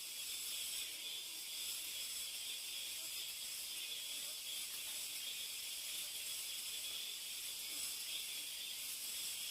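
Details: Deep inside a mountain forest, cicadas keep up a continuous shrill, hissing drone, level and unvarying for the whole stretch, with nothing else standing out.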